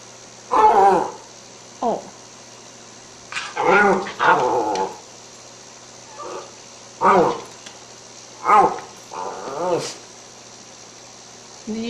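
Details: Pet Cairn Terrier, said to be hungry from smelling lamb chops set out for the broiler, answers with a string of short moaning, growly vocal bursts spaced a second or two apart, with a person talking to it between them.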